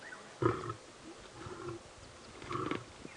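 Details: Lions of the Nkuhuma Pride at sunrise at Djuma Game Reserve, South Africa, give two short, harsh snarling growls about two seconds apart during a tense male greeting near a carcass, over a low rumble and faint outdoor noise.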